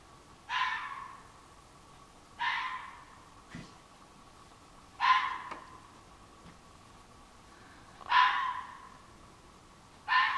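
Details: At night on 23 July 2015, a red fox in woods behind a flower garden gives loud, hoarse single barks, one every two to three seconds.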